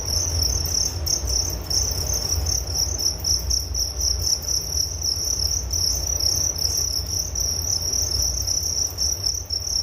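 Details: A continuous shrill cricket chorus, a thin high trill that shimmers with rapid pulses and holds an even loudness throughout, above a faint low hum.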